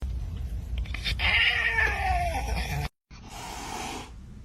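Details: Domestic cat giving drawn-out, wavering wails with gliding pitch over steady background noise, followed by a brief gap and then muffled noise.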